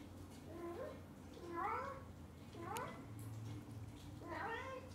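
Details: Onion, a kitten being pampered by his mother cat, excited and happy indoors: three short rising-falling meows with stacked harmonics, about one per second, over a low steady room hum.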